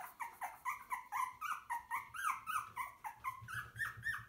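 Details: Young puppies, shown from birth to ten weeks, whining in a steady series of nasal, bending cries, each rising then dropping, about four every second, close and clear with little else heard.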